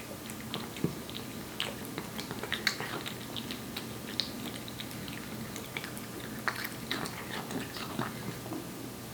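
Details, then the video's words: Aeppi, a one-year-old Korean Shorthair cat born July 2018, eating wet food indoors: scattered sharp wet clicks and smacks of chewing and lapping at irregular intervals over a quiet room hum. "촵촵 습식사료 먹는 소리, 고양이 리얼사운드"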